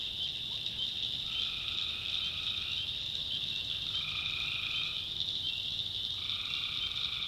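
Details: North Carolina backwoods swamp after dark: tree frogs give three steady trilled calls, each one to one and a half seconds long, over a dense, continuous high-pitched chorus.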